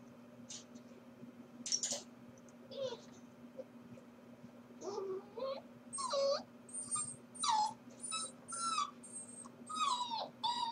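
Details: Corgi puppy alone at home during its owners' workday, 4/21: scattered whimpers build into a steady series of high, wavering whines and yips, about one per second toward the end, over a continuous low electrical hum.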